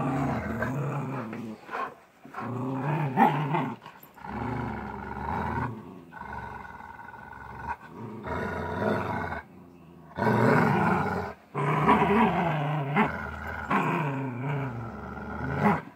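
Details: Playing tug of war, a Golden Retriever growls in long rough harmonic bursts separated by short pauses, some bursts swelling louder and higher toward roar-like tones.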